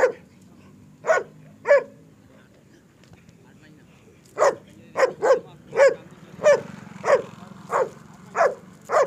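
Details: Gruff single barks from German Shepherds kept in Peshawar, offered in single, double, medium and long coats. Two barks stand apart, then a steady series of about nine barks follows, roughly two per second, over a soft low hum.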